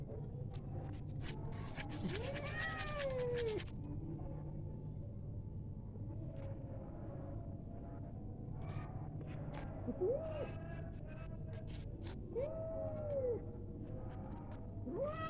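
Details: White domestic cat at play, giving four drawn-out meows that rise then fall, spaced irregularly through the recording, over a steady low hum with scattered clicks and light knocks.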